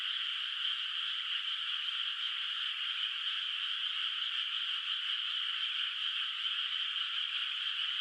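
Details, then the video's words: Frogs calling at night from a moonlit rice field in the countryside, its water not yet planted with rice, heard at a distance: a dense, unbroken, trilling chorus of many voices, steady throughout with no other sounds. "月明かりの田んぼで響くカエルの声 懐かしい田舎の自然音BGM Frog Sounds in a Moonlit Nostalgic Countryside Night Ambience"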